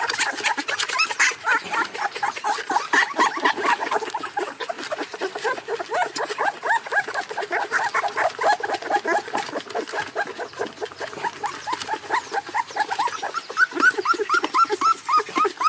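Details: Puppy screaming in a crate, crying and whimpering for hours: a dense, unbroken stream of overlapping high yelps and whines, rising and falling rapidly, about two per second, with no pause across the stretch.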